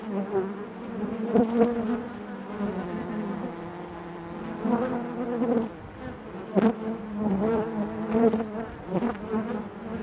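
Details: Honey bees hum inside their hive, a rich wavering drone punctuated by several sharp louder bursts of close wingbeats.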